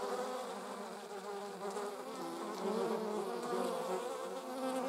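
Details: Buzzing of honey bees alongside wasps: many wingbeat hums blend into a constant, rich drone, with a few tones briefly rising and falling as insects pass.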